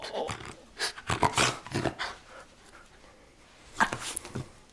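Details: Miniature Schnauzer named Mandoo playing tug-of-war indoors in a small room: short bursts of growling and scuffling noises come in clusters, with pauses between, and a final loud pair of bursts near the end; human voice faint in the background.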